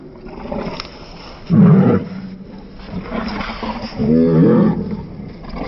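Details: Cane Corso protection dogs, a female and a large male pair, play fighting at home; two loud, rough growling bursts with drawn-out low snarls, separated by quieter panting and scuffling.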